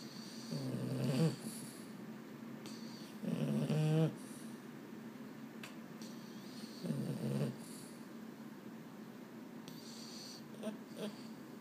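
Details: Boston Terrier indoors at bedtime, restless and unable to sleep, one of two males named Mambo and Cub; three low, snore-like harmonic groans, each about a second long, spaced several seconds apart, with a faint rustle between.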